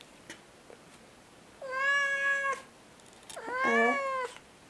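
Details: A Siamese cat, China, gives two long, drawn-out meows, answering a person who is chatting with her.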